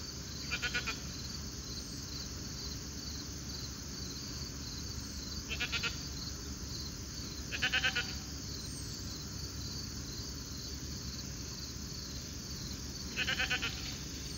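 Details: Grazing alpacas on a late summer evening give four brief rattling calls of quick pulsed notes, spaced irregularly two to six seconds apart, against continuous high hissing ambience and a low background rumble.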